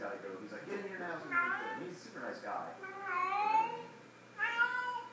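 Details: Cat in a small room with her sock toy, producing a run of harmonic meows, some bending upward then down, the last one short and rising; quiet background with faint hum.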